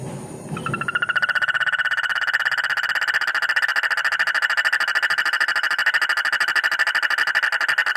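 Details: Frog croaking in one long, steady, buzzy trill of fast, evenly spaced pulses at a middle pitch with bright overtones. It starts after about a second of low room rumble and runs unbroken to the end.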